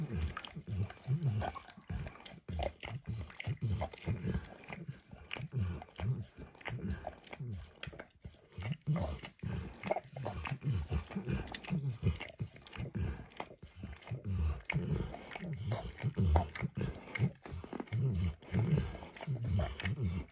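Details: Steady, rhythmic tongue lapping from pet dog Max on an orange lick mat with food, heard very close; low, moist smacks follow one another almost without pause, and sharp little clicks are scattered throughout.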